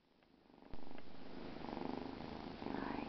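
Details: Bengal kitten purring indoors, a soft low rumble of rapid regular pulses that starts after a short quiet moment and holds steady to the end, with a faint higher squeak near the close.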